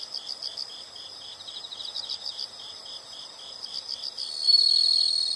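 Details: Chorus of insects, rapid pulsed high chirps repeating steadily, joined near the end by a sudden loud continuous high-pitched trill.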